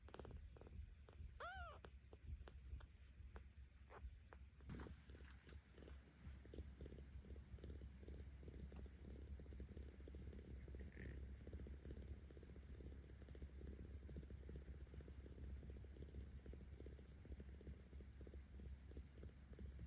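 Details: Purring of a 17-day-old kitten named Aochan, cared for by cat volunteers in Tama City, Tokyo, filmed 10 October 2022; a low steady rumbling pulse that grows fuller once petting begins, with a few brief faint high mews near the start.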